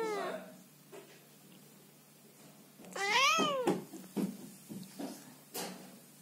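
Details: A female Scottish Fold cat that came to her owner's bed at night and did not want to be touched gives several drawn-out, angry, complaining meows, one rising then falling in pitch.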